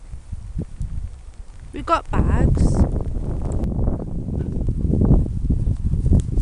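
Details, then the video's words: Playing Siberian Huskies Mishka, Narla and Shiloh sing out: a quick rising-then-falling yelp, then a wobbling, yodel-like note, heard through steady wind buffeting and thumping play noise. "Siberian huskies playing and singing!"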